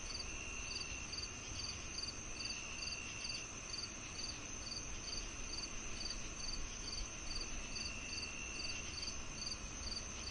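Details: Crickets and cicadas together: bright chirps repeated roughly two to three times per second in a slightly uneven rhythm, above a steady shrill insect tone and quiet low-frequency background.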